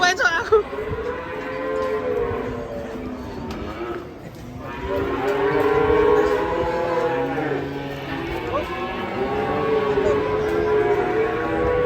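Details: Angry cattle being unloaded from a truck in Indonesia; long, drawn-out harmonic moos, several in overlapping succession, with people talking and shouting nearby.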